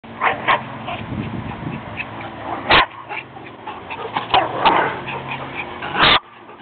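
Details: Chihuahuas Chucky and Jet, one wanting the other dog's squeaky toy: short scattered yips and squeaks over a steady low hum, with two sharp, louder bursts near the third and sixth seconds.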